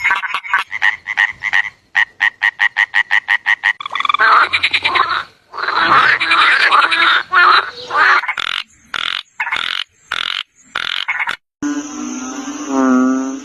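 Frogs calling in fast trains of short, rattling croaks, with several voices overlapping into a loud chorus.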